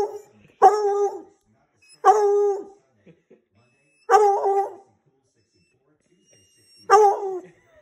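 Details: A Redbone Coonhound, yelling at a person, gives loud, drawn-out bawls, each under a second, repeated every couple of seconds.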